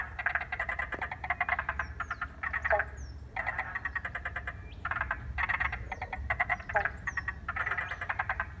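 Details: Wetland frog chorus at Paringa Paddock National Park, South Australia, recorded by iPhone once water had been let into the wetland: stacked rattling, pulsed croaks in repeated bursts with brief gaps, plus faint high sliding bird whistles.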